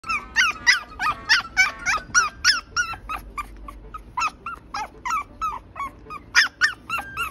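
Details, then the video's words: Pomeranian puppy wanting hugs, whining insistently: a fast series of high, squeaky rising-falling yelps, about three or four per second, continuing steadily with no other sounds. "Little puppy really wants somebody’s hugs"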